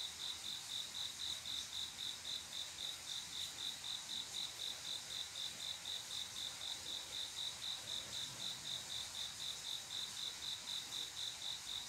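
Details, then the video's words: Male crickets courting females on a calm summer night: a continuous series of high, ringing chirps, very regular at about four a second, layered over a soft wash of distant insect hiss. "조용한여름밤 귀뚜라미소리"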